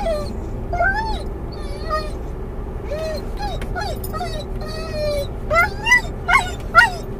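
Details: A Doberman/collie cross named Mungle, muzzled in a car, whines for his missing Moromom toy as he nears where he thinks it is. Short high whines and yips come about twice a second, growing sharper toward the end, over road rumble.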